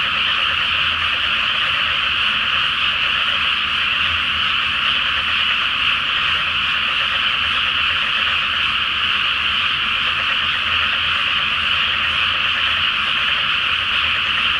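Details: Frog chorus at night over a flooded rice paddy awaiting planting, beneath the full Flower Moon; countless croaking voices merge into one constant, even, rattling roar.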